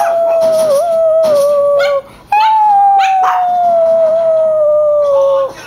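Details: Chihuahua howling in reaction to an annoying whine; two drawn-out howls, the first wavering then dropping, the second long and steadily sinking, with a yip between them.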